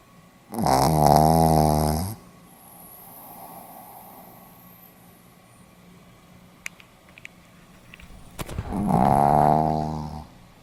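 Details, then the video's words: Sleeping Pomeranian dog snoring indoors, two loud harmonic rasping snores about eight seconds apart, each lasting roughly one and a half seconds, with quiet breathing and faint clicks between them. "ポメラニアン 犬のいびき"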